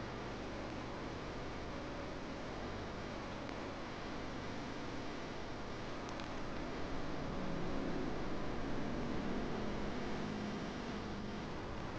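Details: Quiet, even broadband hiss like a fan or distant traffic runs throughout, with faint rustling and no animal calls.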